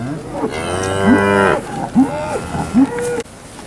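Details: Angus and Angus-cross cattle at a steer auction in Alabama; a long bellowing moo with rich harmonics, followed by three short rising grunt-like calls spaced under a second apart, then a sudden cutoff.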